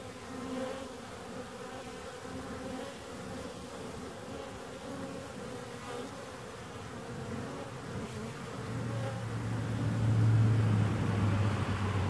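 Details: Bees humming softly at first. Near the end a deeper, louder drone swells, as though one insect has come close.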